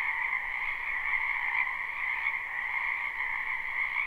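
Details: Live spring recording of numerous frogs in a backyard wetland, their croaking merged into a constant shimmering buzz in two bands, gently swelling and fading.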